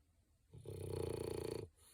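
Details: A single drawn-out, vibrating snore from Digger, a French bulldog asleep indoors, rattling steadily for about one second before fading into quiet breathing.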